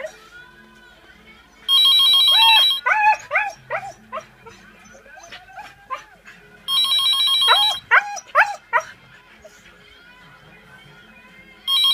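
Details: A 1-year-old female Siberian Husky, curious at a ringing phone, answers it with rapid, yodeling whines that arch up and down.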